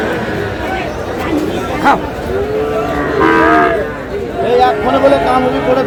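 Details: Sahiwal cattle at a Bangladeshi market in Mymensingh on 18 March: several short, arching bellows and a louder moo around the middle, with a sharp knock, background chatter and general market hubbub.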